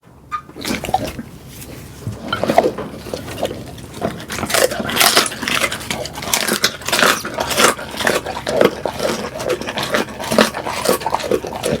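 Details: Pet pit bull eating, recorded up close for relaxing ASMR: a steady run of wet, crunchy chewing and smacking bursts roughly every half second, rising in intensity after four seconds, with no other voices or background sounds.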